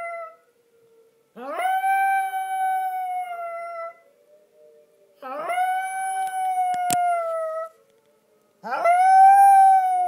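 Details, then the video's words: Small pet Yorkshire Terrier howling in answer to the tornado warning siren tested on the first of each month: three long, steady, tonal howls of about two and a half seconds each. Each starts with a quick upward slide and then holds its pitch. "Yorkie Hershey singing the Tornado song"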